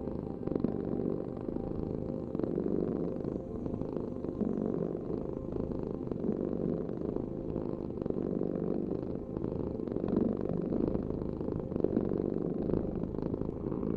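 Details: Long, even purr from a domestic cat, a dense low vibrating rumble with slight rises and falls as the cat breathes.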